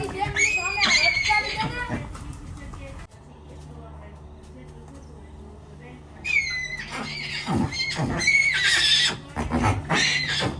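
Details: Horse whinnying: shrill, quavering high calls sliding downward in pitch, one burst in the opening two seconds and another from about six to nine seconds, with people talking over them and a low steady hum in the quieter middle stretch.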